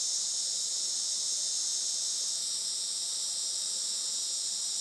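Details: Summer cicada chorus at a traditional Japanese farm in Saitama on a sunny July 2024 late morning: a loud, shrill, steady droning buzz with no pauses.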